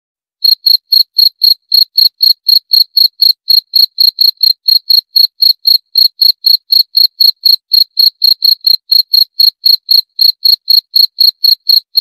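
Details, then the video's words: After a half-second of silence, a cricket starts a long, steady series of shrill chirps, about four each second, keeping an even rhythm to the end; no other sounds. "32 Menit Suara Jangkrik - 32 Minutes Cricket Sound Effect"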